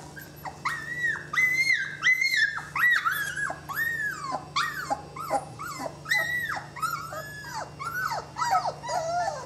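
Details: Loud, high whining from 20-day-old Saluki puppies: long arched squeals that rise, hold and drop, following one another almost without pause, more than one pup crying at once.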